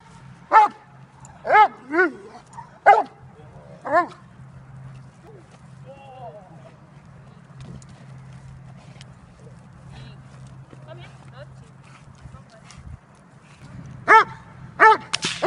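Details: Jovanotti Unreachables, a Dobermann almost five years old, during bite training in October 2015, from a Serbian breeder: four loud, harmonic barks about a second apart, a quiet stretch with faint voices, then two more sharp barks at the end.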